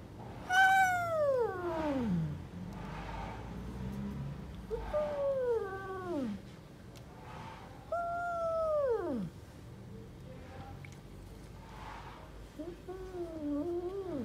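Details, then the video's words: Angry stray mother cat living on the street, protecting her kittens and keeping everyone from approaching: long, harmonic, drawn-out yowls that slide steeply downward, about five calls a few seconds apart, the last one wavering and lower. "Angry Mother cat protects her Kittens and doesn't let anyone approach them"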